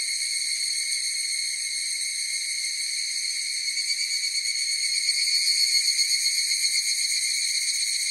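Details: Chorus of higurashi cicadas: a steady, ringing, high tonal drone with stacked overtones and a soft throb about four times a second, swelling into stronger pulses over the last few seconds; no other sounds.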